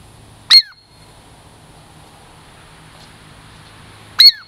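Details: Female Douglas squirrel, tame and approaching for a treat in the Puget Sound lowlands, gives two strident, high downward-sliding squeaks nearly four seconds apart, with quiet surroundings between them.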